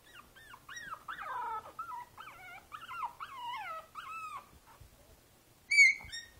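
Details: Princess Izzy, a five-week-old Boston Terrier puppy sitting in a basket, recorded 12/4/2011: loud, clear, wavering whines rising and falling one after another, then a short quiet gap and a final sharp, higher yelp.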